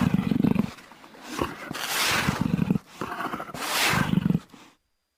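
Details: Jaguar roaring in three rough, breathy bursts, each a low rasping grunt with hoarse, airy upper noise, separated by short pauses before fading to silence.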